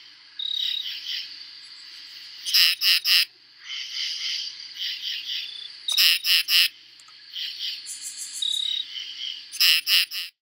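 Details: True katydid (Pterophylla camellifolia), a tree-dwelling insect singing its summer "katy-did" song from midsummer to first frost, mostly males calling to attract a mate: harsh raspy triple pulse bursts every three to four seconds over a steady buzzing insect chorus.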